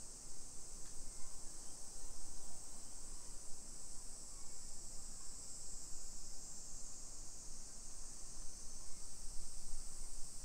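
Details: Summer cicadas along a suburban walk in Nisshin city, Aichi Prefecture, Japan, at 1 PM on 28 July 2021: a steady high, hissing drone in the background, partly covered by louder low rumbling and footstep-like thuds.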